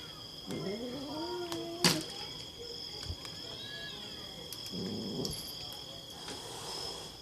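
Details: Zen, a pet cat upset and agitated by other cats and hissing at its owner, gives low, drawn-out wavering moaning notes, then a sharp burst and fainter tonal sounds, over a steady high insect-like hum and a voice.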